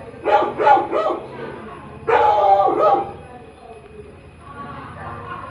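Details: Labrador retriever puppy, a new companion, barking: three quick sharp yaps in a row, a pause, then a longer rough double bark, with a faint tonal hum underneath afterwards.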